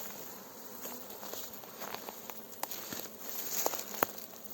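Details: Beekeeper guiding a fresh honey bee swarm into a hive: steady buzzing drone under frequent crackling snaps, like dry branches stepped on, getting busier toward the end.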